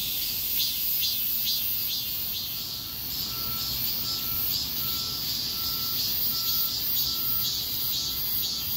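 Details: Cicadas in a street chorus during a heatwave: a dense, shrill, continuous buzz that pulses in quick regular surges, with a faint short repeated whistle-like note lower down.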